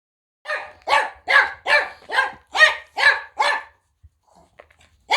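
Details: Friendly Shiba Inu kept in Kanehama, Aomori City, Aomori Prefecture, Japan, being petted and groomed during its moulting season; about eight short, sharp barks in quick succession, roughly two per second, then a pause and another bark.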